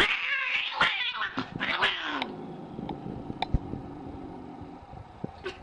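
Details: Angry cat giving a harsh, broken yowl with a steady low tone near the start, then noisy spitting bursts and clicks that fade into a quieter drawn-out moan.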